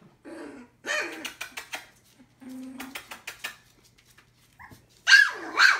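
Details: Three-week-old Collie puppies give scattered short yelps and a steady low whine, with quiet gaps, ending in two loud rising squeals.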